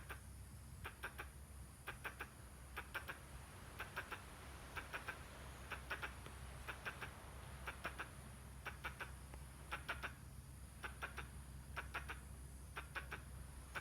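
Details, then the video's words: Squirrel making weird noises along with gestures: sharp, clicky chucks bunched in pairs or triples, repeating about once a second throughout, over a steady low hum and faint background hiss. "Squirrel, making weird noise and gestures."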